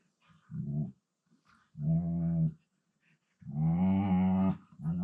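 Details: Siberian Husky indoors, playing with a second husky while lying on the floor, talking in a low-pitched voice: three drawn-out moaning vocalizations, the last longest, with a slightly wavering pitch, separated by short silences in a quiet room.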